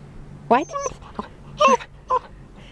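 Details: Arrow, an 8-week-old Harlequin Great Dane puppy, doing puppy talk indoors: a string of short, rising and falling yelps and whines with clear tonal harmonics, in three or four separate bursts with quiet gaps between them.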